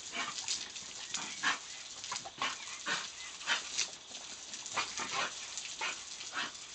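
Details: Diesel, an English bull terrier, chases a water hose in play, letting out scattered brief yips and whines with bending pitch amid continuous broadband hiss of spraying water.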